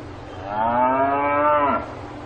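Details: A single cow on a farm gives one full, sustained moo that holds steady for over a second, then dips and trails off, over a low constant background hum.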